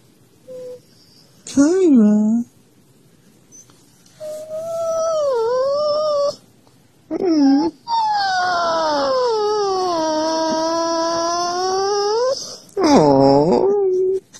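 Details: Siberian Husky indoors calling to wake its owner, possibly hungry: drawn-out, wavering howl-like whines that rise and dip, some short, one long sustained wail near the end, in a small room.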